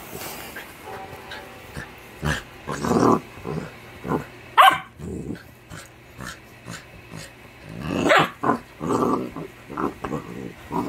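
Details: Yellow Labrador puppy in happy play, giving a run of short rough growly grunts and breathy bursts, some with sharper bark-like peaks, coming in irregular pulses over about eleven seconds, with faint music behind.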